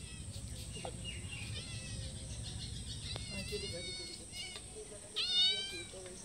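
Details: Several cats meowing for food, one calling from a wall and others in front of a house and door; repeated harmonic meows, some rising then falling, overlapping, with a loud meow near the end over a steady background hum.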